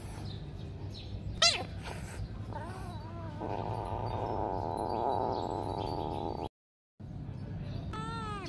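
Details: Cat from a comedy compilation of pets: a sharp rising squeak, then a short bent meow, a long droning wavering sound mid-clip, and a final clear meow after a brief gap, with low background hum throughout.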